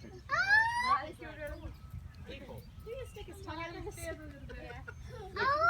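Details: A captive gibbon at an animal park in North Carolina gives loud, rising, tonal whoops, with visitors talking in between.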